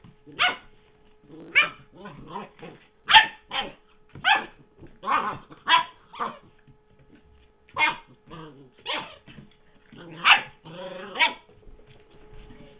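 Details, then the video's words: Puppy dog playing with a favourite squeaky toy, recorded in 2009: a run of sharp, short barks and yips roughly every half second to second, with growly squeaks between and a steady faint hum beneath. "WEE HENRY PUPPY PLAYING WITH MR. SQUEAKY"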